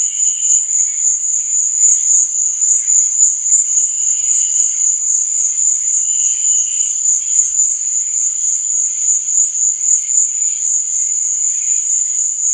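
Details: Crickets chirping at night in a dense, steady high trill, its volume throbbing rapidly, with scattered softer buzzy notes lower down.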